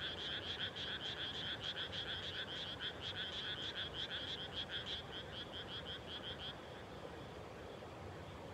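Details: Rice-planting-season frogs at dusk, 30 May 2021, on revived abandoned farmland: quick trains of bright, rattling croaks pulse steadily for about six seconds, then fade, leaving a soft rural background hum.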